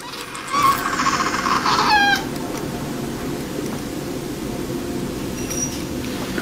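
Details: Kitten eating watermelon gives a drawn-out, slightly wavering meow with stacked harmonics lasting about one and a half seconds, then falls quiet over a steady low background hum.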